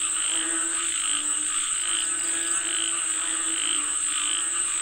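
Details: Rain-calling frogs in full chorus, with quick, uneven croaks of roughly one per second stacked in rich, buzzy tones, and a continuous high whining hum in the background.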